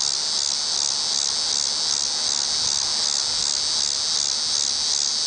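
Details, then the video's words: Steady, intense buzzing song of a Tibicen walkeri cicada perched in a tree near the WWI Museum entrance in Kansas City, Missouri, recorded October 5, 2008; high hissing drone with regular gentle pulsations throughout. "Cicada: Tibicen walkeri"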